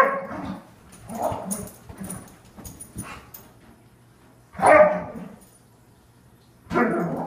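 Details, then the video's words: Airedale Terrier named Ronie giving a morning greeting: a few short, harsh barks and yips, with a loud bark near the middle and another at the end, separated by softer whines and quiet gaps. "Good morning from an Airedale Terrier"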